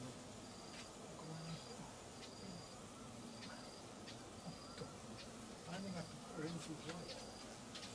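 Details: Giant Asiatic Honey Bees (Apis dorsata) swarming at 5.53pm in Perak, Malaysia, starting a new nest near an old one abandoned 14 months earlier; a steady low humming drone, overlaid by evenly repeated short high tones and a few sharp clicks.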